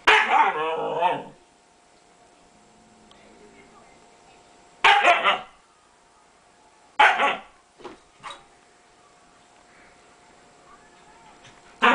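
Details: Playful barking from a pet dog aimed at the house cat. A longer, wavering vocal burst opens, then sharp single barks follow at irregular gaps of two to five seconds, with a faint human voice in between.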